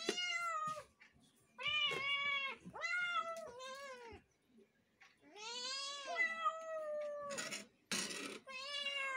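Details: Several kittens meowing: a run of loud, bright, drawn-out meows, some rising then falling, overlapping in quick succession with short gaps, plus a couple of brief noisy rustles near the end.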